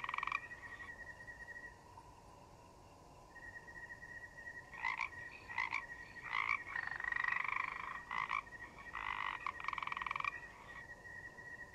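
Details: Forest frogs croaking: after a quiet stretch, a run of short, harsh, buzzy croaks repeated in irregular bursts roughly once a second, some longer and rattling, over a steady high-pitched chirping drone of crickets.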